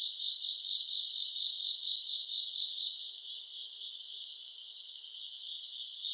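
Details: Summer-night chorus of grass insects captured in August: unbroken shrill trilling from many callers, quickly pulsing and fairly even, fading slightly in the middle before swelling again, with a quiet background otherwise.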